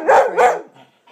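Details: Pet dog barking while its owner wrestles with her child: two short, harsh, tonal barks in quick succession, then a faint trailing sound, indoors.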